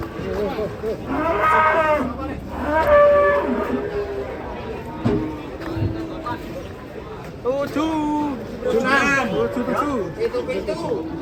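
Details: Cattle described as a fat cow, mooing in a series of loud, drawn-out calls with rich harmonic layers, one pair early on and another cluster late, over a murmur of background voices.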